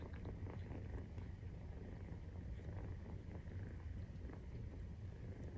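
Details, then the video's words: Maine Coon cat at nursing time with kittens 43 days old, giving a low, muffled rumbling purr that stays steady and quiet, almost like a soft engine hum. "授乳時のゴロゴロ 生後43日目【メインクーン動画】"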